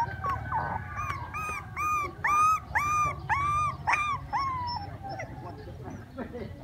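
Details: Puppies crying while playing: a run of about ten high, arched whining cries, each rising then falling, repeated roughly every half second and fading toward the end over a low background hum.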